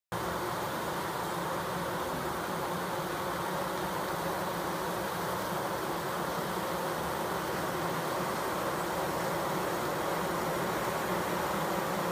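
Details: Bees fanning, recorded close up: a dense, steady droning hum that fills the whole clip without a break, with low buzzing tones running underneath a broad hiss.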